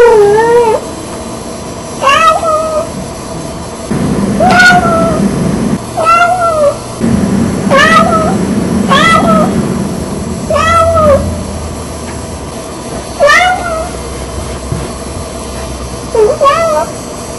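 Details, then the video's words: Red tabby Persian cat, female, impatient in the morning and wanting her owners out of bed, a daily ritual. Loud, drawn-out, bending meows come roughly every two seconds, about eight in all, over a low indoor hum. "The Talking Cat"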